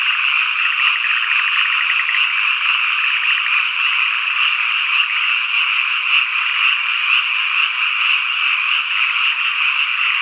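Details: Cicadas, with evening cicada and kaempfer cicada named, on a summer evening in rural Ikusaka village, Nagano, Japan: a steady dense buzzing drone throughout, with faint rapid pulsed trills early on and frog croaks mixed in.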